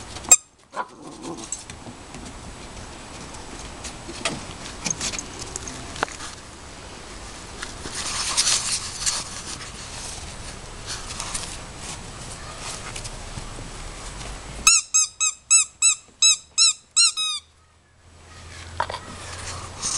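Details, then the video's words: Puppies linked to the name Daisy: a long stretch of rustling and handling noise, then a quick run of about eight high, rising-and-falling squeaky whimpers close together near the end, followed by a low hum. "puppies- Daisy"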